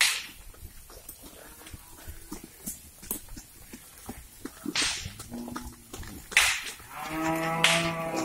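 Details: Cattle herd crossing a river while moving to a new grazing spot: after clicks and splashy knocks, two short low moos with stacked harmonics come near the end, the last one longer.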